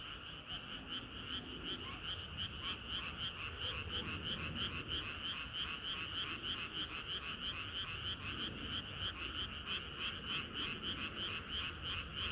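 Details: Frogs singing on a hot summer night, chorus led by a loud nearby caller: rhythmic croaks repeated about three times a second, evenly spaced and bright, over softer frogs in the background.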